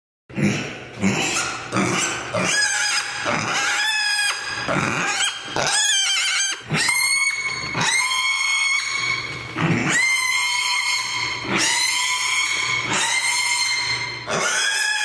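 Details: Mini pig walking around, letting out a string of loud, harmonic squeals and grunts, some rising sharply, others drawn out for a second or more, with brief pauses between.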